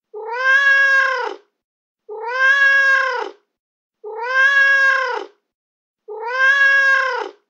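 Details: Domestic cat voice, described as angry and used to deter mice and rats: four long, even meows, each about a second, rising then falling, evenly spaced every two seconds in a silent, clean background.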